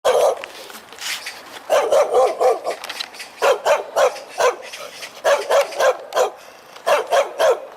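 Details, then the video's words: Loud-voiced dog barking while wagging its tail: sharp, full barks in rapid clusters of three to five, with short pauses between the groups. "개짖는소리 효과음 - 꼬리는 흔드는데..."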